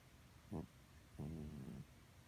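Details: Senior house cat Betty snores in her sleep: a brief snorting breath, then a longer, low, vibrating snore about half a second long in a quiet room.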